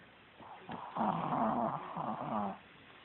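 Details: Pet dog napping by a person's feet, snoring loudly: one long rasping, rumbling breath lasting about one and a half seconds, steady and throaty, with quiet before and after.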